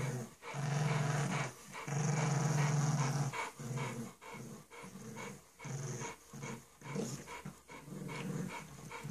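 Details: Growls from a bulldog puppy and a pug at play: long, deep, sustained rumbles lasting a second or more, then choppy, panting growl fragments coming fast and uneven.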